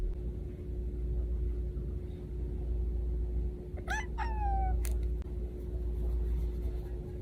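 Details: A kitten named Cash gives two short, bright meows in quick succession, each falling slightly in pitch. A steady indoor hum sits behind them, with little else audible.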